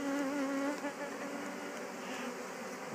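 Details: Western honey bees of a colony that swarmed and absconded, just shaken back into a Warre hive box with a queen excluder fitted; a loud dense low buzzing hum from many bees, with a steady tonal drone early on.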